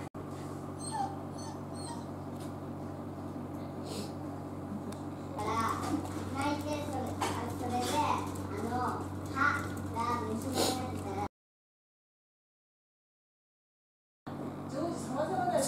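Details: A male Miniature Dachshund gives thin, rising and falling whimpers and drawn-out nasal whines, crying from loneliness after a female dog kept turning down his invitations to play, over a low household hum with a brief silent gap.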